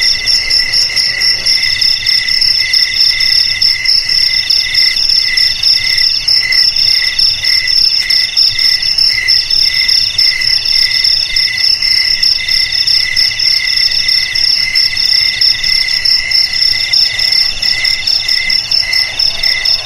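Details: Loud, penetrating cricket song for frightening rats out of homes and paddy fields: continuous high ringing trills beating in tight regular pulses across two shrill bands, overlapping callers giving a dense chorus that barely varies over twenty seconds.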